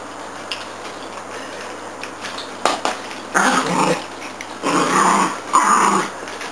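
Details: Dogs named Santa and Minnie playing with a Zig 'a' Zag ball indoors; rough, noisy growling bursts come in several pulses of about half a second to a second, with clatter between them.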